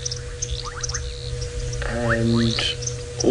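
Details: Bubbling kassinas give short, rising 'poip' notes as frogs start calling again around sunset in Djuma Game Reserve, Sabi Sand, South Africa, in late February, amid an evening frog chorus and a low engine hum.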